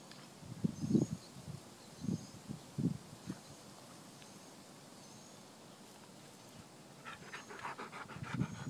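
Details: An Australian Shepherd having fun in the backyard breathes in low, breathy huffs and pants, with quiet outdoor background noise.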